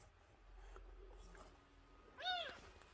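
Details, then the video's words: Young milk-fed kitten, under a month old, found crying outside the front gate; soft indoor rustling gives way to one short, bright, arched meow near the end. "엄마가 빽빽거리며 우는 동생 하나를 데려왔어요. 대문앞에서 울고 있었다는젖먹이 아기고양이"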